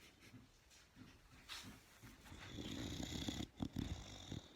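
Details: Sleeping Boxer dog snoring indoors: soft irregular low breaths build into louder rough snoring rasps near the end, broken by short snorts.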